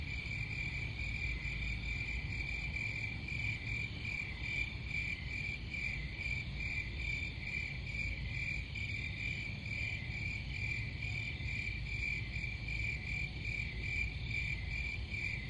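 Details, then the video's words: Crickets sing a constant high-pitched pulsing trill across the whole stretch, accompanied by an unbroken low rumbling noise bed. "Crickets Sound"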